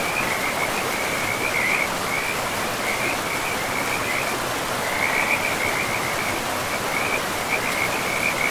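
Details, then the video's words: Pristine forest river with frogs, rushing water dominant; rapid rattling croak trains come in bursts with short pauses, somewhat softer beneath the stream's roar. "River and Frogs sleep sounds"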